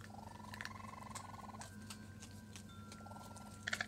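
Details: New raccoon kits with mother Tantail, 22 June 2022, vocal and chirping: one long rapid pulsed trill rising then sagging, then a second shorter trill near the end, with wind chimes ringing steadily behind and a few sharp clicks.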